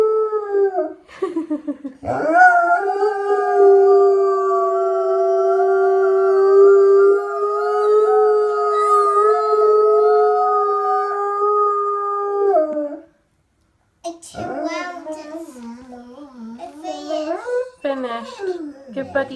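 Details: Howling pet dog, known to howl at sirens and the ice cream truck, duetting with a girl copying its howl: one long, even, sustained howl held about ten seconds, a brief silence, then several shorter wavering, yipping howls.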